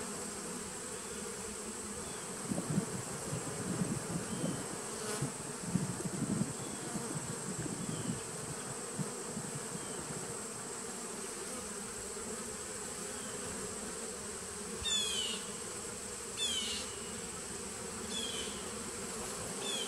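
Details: Steady massed drone of honey bees in a 2017 nuc colony on 19 September 2018, swelling slightly around the third to seventh seconds, with a few brief sharp clicks and chirps near the end.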